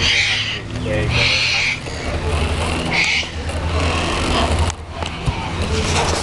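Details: Wombat in a wildlife park enclosure, objecting to a second wombat while waiting for food: rough, noisy huffing bursts in quick succession, then a pause and another burst, against constant loud background rumble and chatter.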